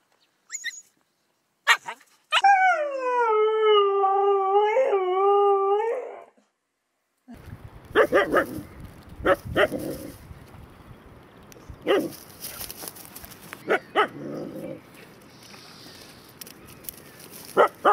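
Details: Siberian Husky giving a sustained, smooth howl lasting several seconds with a slightly wavering pitch, followed by scattered clicks, clatter and background noise.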